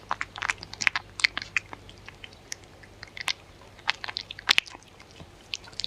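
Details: Dog eating in close-up, no talking: clusters of brittle crunches and chewing clicks, a loud bite near one second and another burst around four and a half seconds, with a soft background hum.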